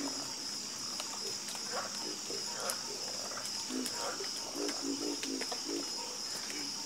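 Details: Chorus of frogs croaking, with short low croaks overlapping in quick irregular bursts throughout. A steady high insect-like hiss fills the background.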